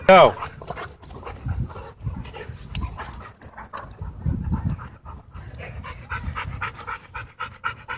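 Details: Dogs at a dog park making vicious death growls and odd noises: low, rough rumbling bursts swelling and fading amid panting, with a person's voice early on and background park noise.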